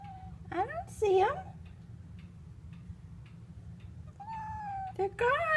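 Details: Usually quiet domestic cat whining repeatedly indoors one morning: several sharp rising-falling meows, long level whines, and brief noisy bursts between calls.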